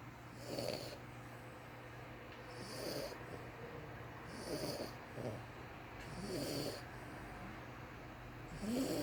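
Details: Asleep, a French Bulldog puppy snores in a steady rhythm, a rough, snorting inhale about every two seconds, five or six breaths in a row with a faint constant hum behind them.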